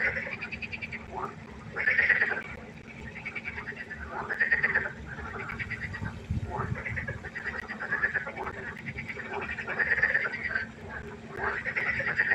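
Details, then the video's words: Frogs croaking at night by a pond, a dense chorus of overlapping rasping, pulsed calls that swell in bursts about every two to three seconds, with a steady low hum underneath. "1 Stunde Froschkonzert. Frosch Geräusche quaken."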